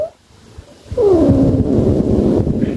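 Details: A brief quiet stretch, then a loud, harsh, grumbling meow from Nancy, a mother cat easily irritated by her kittens. The cry starts high and sags lower with a rough, noisy texture.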